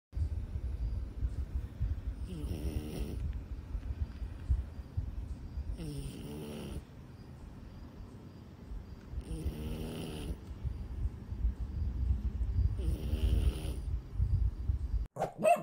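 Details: French bulldog asleep in a backpack while hiking snores in four raspy, drawn-out breaths about every three and a half seconds, with low wind-like rumble in between.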